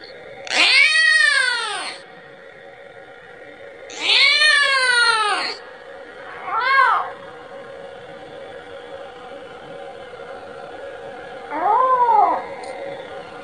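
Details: Kitten meowing to call its mother for milk. Two long, loud, arching cries come first, then two shorter and softer mews spaced further apart, over a faint steady background hiss.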